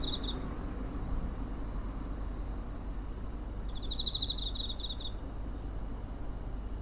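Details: Cricket near home, recorded 7 September 2023 on a TASCAM DR-05, giving one brief high chirp and then a longer pulsed trill of about a second and a half, against continuous low-pitched ambient hum.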